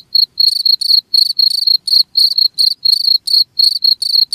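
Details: A cricket calls in a quick, even series of high, shrill chirps, each a tight burst of pulses about a quarter second apart, against a silent background.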